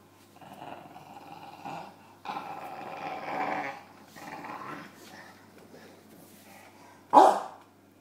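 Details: James the bulldog with his pillow: low rumbling growls in uneven bursts through the first five seconds, quieter grumbling after, then one sharp loud bark near the end.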